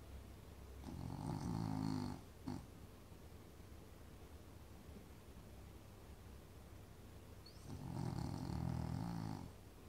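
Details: French Bulldog asleep at a friend's house, snoring loudly: two long, low, rasping breaths around one and eight seconds, with a brief snort between them and quiet pauses.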